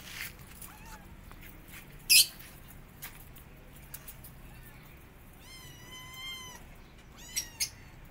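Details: Cat among five kittens pressing their mother cat to feed them while she is upset; a single drawn-out, harmonic-rich mew of about a second, a fainter short mew earlier, plus scattered clicks and rustling.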